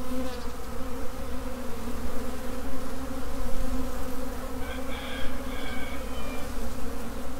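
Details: Honey bee swarm in swarm mode, a dense continuous droning hum of many workers, low and steady with layered tones, a few higher whine streaks near the end.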